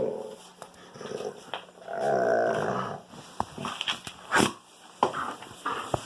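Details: A pet wolfdog at play with a young Kangal puppy, giving one brief rough growl lasting about a second amid scattered knocks, scrapes and shuffling noises inside a small room.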